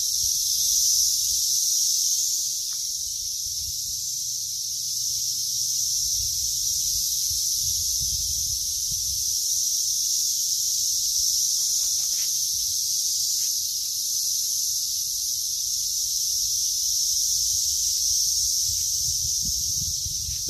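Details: Continuous shrill cicada drone in a yard during grass cutting, a dense high buzz swelling and easing slightly over twenty seconds, with a few soft clicks and low rumbles in the background.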